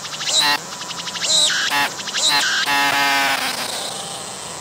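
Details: Close-up recording of a singing cicada with clear wings, abdomen working: several loud, strongly pulsed buzzy bursts with short gaps, then a sustained grating drone that slowly fades.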